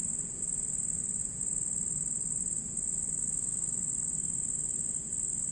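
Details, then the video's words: Red cricket calling at night, a sustained shrill high trill with short momentary breaks, over gentle low-frequency background noise. "How Red Cricket Produce Sounds Fx Nightmare"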